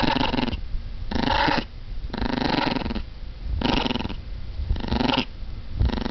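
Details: Dog making a motor-like noise: harsh, buzzy rumbling bursts about half a second long, alternating with quieter low grumbles, roughly once a second.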